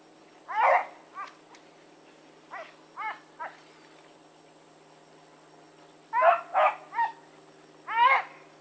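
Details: Blackreek pack of hounds, Choco, Dino, Johnny Ringo and Mingo, running in the evening of 16 August 2014. Bays and barks come in scattered clusters, some softer and more distant, with a steady faint hum behind.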